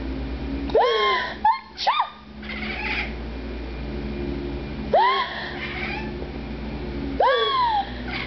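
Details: Domestic cat Oliver crying indoors each time his owner sneezes: four drawn-out meows, each rising then falling in pitch, with gaps of about two seconds between the later calls, mixed with human sneezes, a voice and faint background music.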